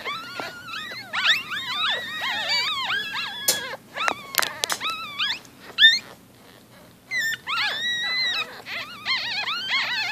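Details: Newborn Shih Tzu-Bichon puppies, four days old, squealing together: many overlapping high, whistled squeaks that bend up and down, in dense bursts with short pauses around the fourth, sixth and seventh seconds.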